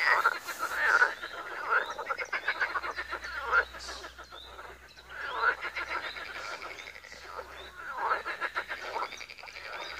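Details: Croaking frogs at a pond in Wiry, a thick chorus of short rattling notes repeated rapidly, with brief louder trilled phrases standing out every few seconds.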